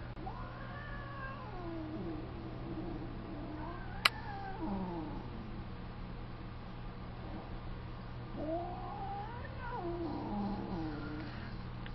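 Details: Angry female tabby cat on an outdoor window ledge, upset because another cat wants up there too; long wavering yowls rising and falling, a drawn-out howl near the start and another toward the end, with a steady low hum throughout.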